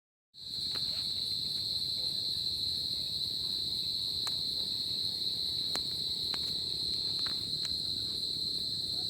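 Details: Crickets on a tropical summer night, a steady unbroken high-pitched trill that starts after a brief silence, with a fainter higher overtone and occasional soft clicks over a low rumbling background.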